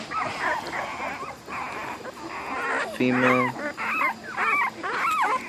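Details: American Bully puppies of ABKC champion lineage give thin, looping whines and short squeaks in irregular bursts. A man's short spoken word cuts in halfway through.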